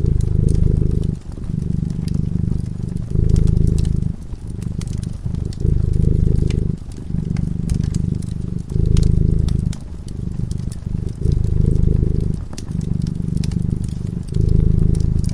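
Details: A cat purrs while it sleeps by a crackling fireside. The deep, rumbling purr comes in long phrases of one to two seconds, split by brief quiet gaps, while the fire snaps and crackles throughout.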